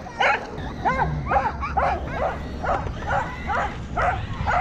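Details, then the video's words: Corgi named Roku chasing a remote-controlled Kuroneko Yamato toy car, February 2021; quick, evenly spaced yappy barks, about two per second, over a low rumbling background. "Roku chases RC car クロネコヤマト ラジコンカーを追うロクさん 20210213 dog corgi コーギー"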